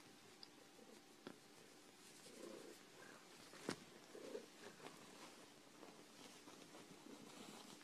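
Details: Phoebe, a dilute tortie domestic shorthair cat rescued from a hoarder and now thriving in a foster home, purring indoors: a soft, low continuous rumble with faint clicks and rustling in a small room.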